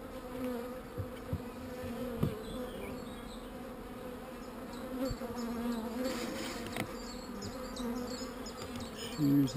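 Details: Not-so-angry honey bees hum at an open hive during a queen cell check. A low, even, two-toned buzz fills the whole stretch, with a few soft taps and a louder swell at the very end.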